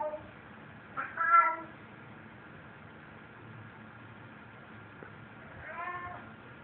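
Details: Domestic cat in an apartment, proudly carrying a stuffed animal it found; two separate wavering meows several seconds apart against a quiet indoor background with faint hum.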